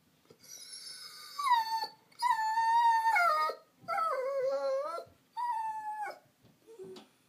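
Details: Female Vizsla, a gun dog, crying from loneliness to get attention: four long howling whines in close succession, each wavering then dropping in pitch, ending with a short squeak.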